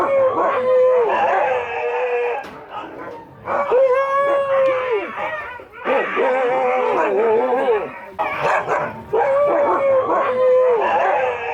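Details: During a visit to huskies, the dogs let out a series of sustained, clear howls, each about a second long, between bursts of wavering, chattering vocal noise.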